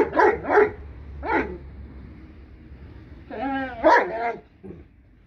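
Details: Blue Great Danes, seven-month-old female puppies from Kennel Hradecká hvězda, giving two quick deep barks, a single bark, then a drawn-out whining yelp that runs into more barks, with a low hum underneath.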